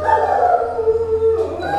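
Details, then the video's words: Alaskan Malamute at a kennel howling in a wolf-like voice, during a squabble among the dogs: a long, steady, slightly wavering tone that drifts lower and then rises again near the end, with faint background noise. "Berantem. Kayak lagi lihat serigala ya, bukan lihat anjing suaranya."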